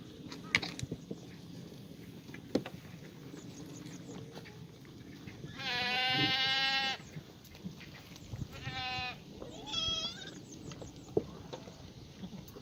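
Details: Black goats in a farm exercise yard in Gimhae, South Gyeongsang, South Korea, on a sunny Monday morning, 1 April 2019; three wavering, nasal bleats come midway, the first long and loud, with scattered clicks and knocks around them.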